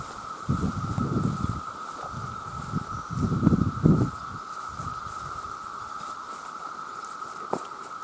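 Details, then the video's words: Massed chorus of male cicadas calling to attract mates: a steady, unbroken mid-pitched drone runs throughout, while low rumbling bursts of rustling or handling noise come and go, loudest around the first and fourth seconds. "The Sound of The Cicada"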